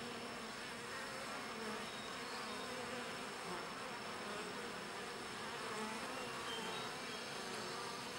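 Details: Many bees grooming one another in a hive they keep very clean; their combined wings make a smooth, continuous hum that holds steady for eight seconds.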